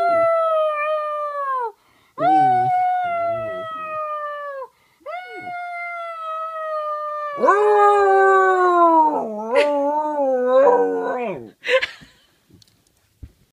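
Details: Dog howling on 4-5-14: a series of four long, mournful howls, each sustained and falling at its end, the last one rising higher with wavering, yodel-like breaks, ending in a short yelp and quiet.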